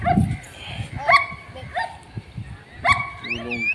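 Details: Long-coated German Shepherd puppies, male and female, in Delhi, give a few short, high, clear yelps, each rising briefly then holding steady. They come about two seconds apart, with a man talking in Hindi nearby and faint chirps at the end.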